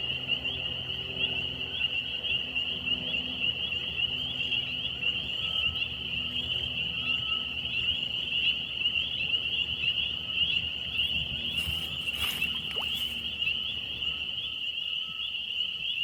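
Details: Frog. A chorus of frogs holds one high, shrill note, pulsing rapidly without a break for the whole stretch. The unbroken tone sounds almost mechanical, with a few brief clicks and knocks near the end.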